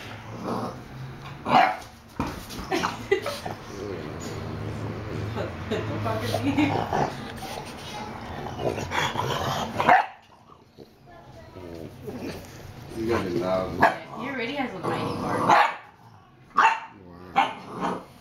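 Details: Bulldogs Bowser and his little cousin Hamboy wrestle in play; loud bursts of barking and growling, a brief quiet pause midway, then more yips and scuffles, with human voices over the top.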